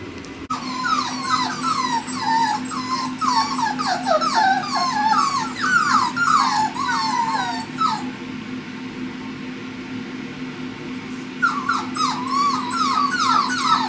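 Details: Male Pomsky puppies, five weeks old, from Winter and Dash's litter, whimpering in a rapid chorus of high, wavering squeals, several pups at once, pausing around eight seconds before resuming; a steady low hum runs underneath.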